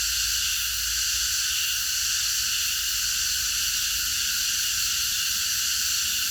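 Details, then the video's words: Cicadas chorusing at night in a park: a dense, unbroken high-pitched buzzing hiss that holds steady in layered bands throughout, with a faint low rumble beneath. "매미들의합창 밤어느공원에서"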